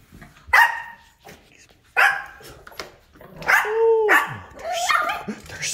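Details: Yorkshire Terrier, a pet dog, barking at home after being told to go outside and get the squirrel: sharp broadband barks near 0.5, 2 and 3.5 seconds, a drawn-out whining yelp, then mixed yaps and voices toward the end.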